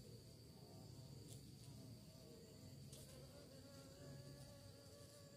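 A bee's low, steady droning buzz that swells and fades slightly as it flies about.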